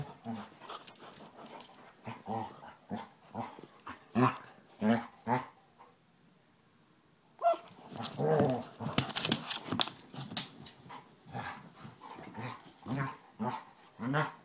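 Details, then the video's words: Rough-housing Basset Hounds, Tracker with new puppy Ranger, trade rapid gravelly growls and yaps; a near-silent pause mid-clip, then a louder, denser flurry of snarling play noise. "Basset Hounds playing"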